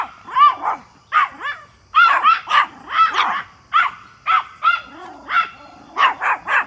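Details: Three Pomeranians spot a big deer in the backyard and bark at it: high-pitched, sharp yapping barks in quick clusters of two or three, roughly fifteen barks in under seven seconds, with short pauses between bursts.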